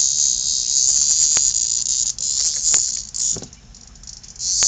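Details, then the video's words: Loud cicada caught by playing kittens, its shrill, high buzz holding steady and then fading in the last seconds before surging back, with a few sharp knocks of handling. "Kittens playing / hunting a Cicada.Warning LOUD!"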